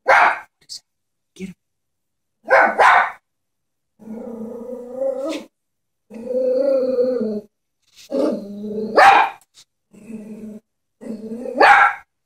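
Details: Chihuahua scared of a stuffed toy horse alternates short barks with long, low rumbling growls, ending in a growl that breaks into a bark.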